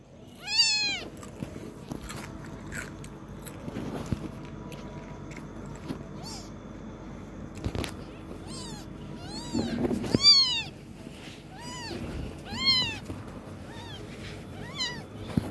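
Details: A kitten that is learning to walk mews in short, piping, arched cries. One comes at the start, then a cluster of several follows later, with soft thumps and shuffling between them.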